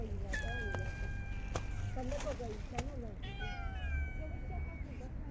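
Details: Stray cats in a park fed during very cold winter, long level meows held for over a second, interspersed with short wavering mews and a few sharp clicks, steady low rumble behind.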